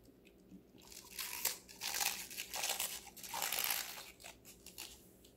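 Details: Five-month-old female Golden Retriever Connie munching various vegetables: bursts of bright, crackling crunches swell after the first second and again around three to four seconds, then fade, over a low constant hum.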